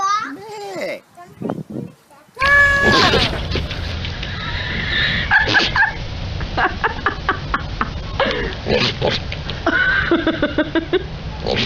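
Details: Goats in a compilation of goats screaming like humans let out loud, wavering screams and bleats, with people talking and laughing over them.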